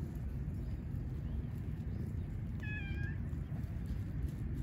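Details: Stray one-eyed cat on an Istanbul street, Turkey, wanting attention while other strays eat; a single short harmonic meow near the middle, over steady low traffic-like rumble.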